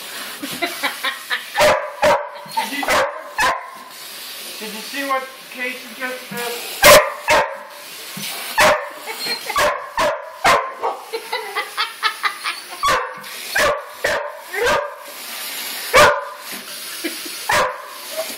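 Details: Three Border Collies named Casey, Jersey and Fenway, one of whom loves water, recorded on an Android phone; rapid barks come in irregular bursts while a person talks and calls to the dogs.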